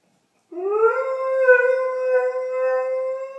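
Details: A pet Doberman indoors sings along with distant fire engine sirens at 8:30 am, filmed on an iPhone; after silence, one long tonal howl rises briefly, then holds level and smooth for about three seconds.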